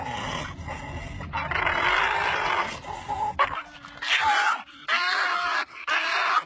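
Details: Domestic dogs, described as puppies, making pig-like noises: rough, noisy grunting and squealing in bursts of varying length, with short pauses between them and a brief higher squeak near the end.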